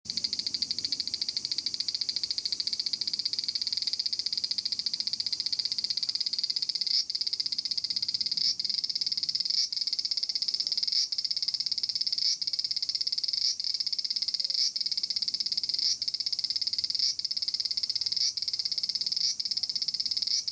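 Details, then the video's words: A large brown cicada (Aburazemi) calls in a persimmon tree in Japan. It gives a loud, continuous, sizzling high buzz broken by brief, regular pulses about once a second, with no other clear sounds. "Japanese Cicada 1 - アブラゼミ(Graptopsaltria nigrofuscata)"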